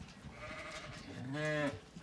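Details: A Zwartbles ewe at feeding time on a County Kilkenny farm in Ireland gives a single low, wavering bleat rising and falling in the second half, after quieter background bleating.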